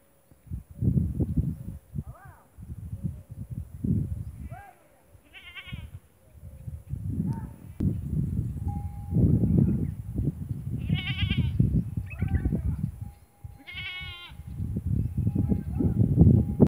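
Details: Goats kept for farming in the Thar desert of Tharparkar, Sindh, Pakistan; scattered quavering bleats, a few loud and stacked, repeated over seconds amid heavy low rumbling noise and people talking.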